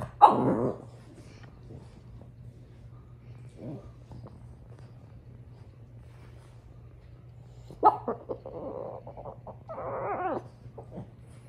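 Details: French Bulldog, female, upset about her toy: one loud bark opens, then a long quiet stretch, a second bark followed by a run of grumbling, wavering whines toward the end; faint low hum beneath.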